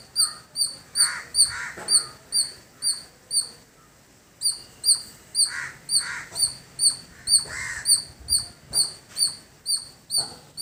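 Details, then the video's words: Village squirrel giving a long run of high, sharp chip notes about twice per second, pausing briefly mid-series before resuming; softer lower chirps from other birds and light background noise underneath. "Beautiful Squirrel Making Sound"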